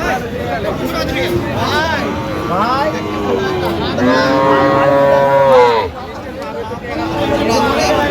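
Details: Sahiwal bull calves at a cattle market, bought by a Narsingdi farmer on 31 January 2026; a long, drawn-out moo swells loudly midway and then breaks off, while buyers and sellers haggle and chatter around it.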